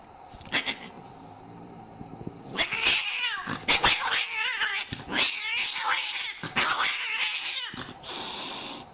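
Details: Angry cats in a noisy clash: harsh, irregular screeches and wavering yowls come in quick bursts for about eight seconds, after a soft low growl at the start.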